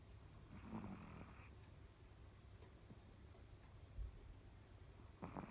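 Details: Snoring from a sleeping dog: a breathy, rattling snore of about a second near the start, then quiet hum, a soft thump, and another snore beginning at the very end.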